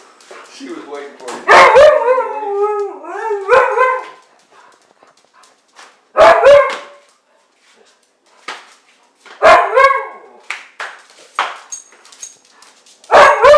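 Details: Siberian Husky at play gives loud, drawn-out harmonic yowls that bend up and down in pitch, in bursts separated by short gaps, mixed with sharp bark-like yelps.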